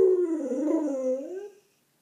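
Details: An English Springer Spaniel gives a short, wavering howl that dips slightly and then rises before fading out after about a second and a half.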